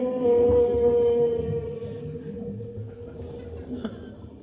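A humpback whale gives a long, steady, moaning tone that holds one pitch before fading.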